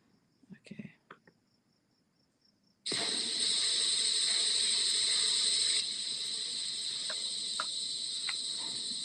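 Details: Crickets in the mountains, heard during a piano lesson: brief soft speech first, then a dense, continuous, high-pitched trill begins abruptly and holds steady to the end, slightly quieter in its last few seconds.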